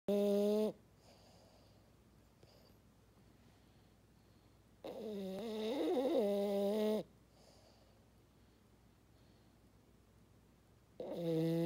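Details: French Bulldog snoring while asleep indoors: loud, horn-like droning breaths with stacked tones, about two seconds each, separated by quiet pauses of roughly four seconds.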